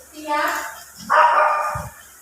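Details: Silver poodle in Bolinao giving two drawn-out, harmonic barks about half a second apart, with a soft low thump afterwards.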